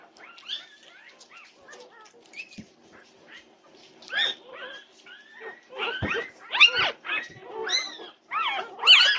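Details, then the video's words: Norwegian Buhund puppies causing a racket at 2:30 am on June 8, 2021: soft scattered whimpers grow into loud, rapid, arched yips and yelps, crowding together and getting louder toward the end. "Puppy Pandemonium at 2:30am! Norwegian Buhund Puppies"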